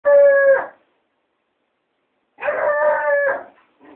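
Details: Hound dog howling at a cat, recorded on a mobile phone: a short, steady, richly harmonic howl, then after a pause a longer wavering howl of about a second, and a brief faint trailing note at the end.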